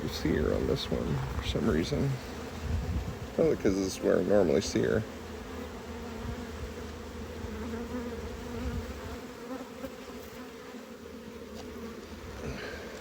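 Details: Honey bee colony buzzing as its hive is harvested and expanded. Human voices talk over the first five seconds, then a steady low hum of the bees continues alone to the end.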